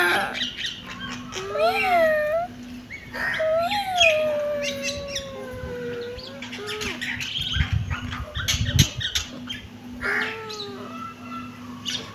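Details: Meowing kitten, giving brief arched cries and then one long, drawn-out meow that slowly falls in pitch, followed by scattered shorter mews, clicks and background rustling.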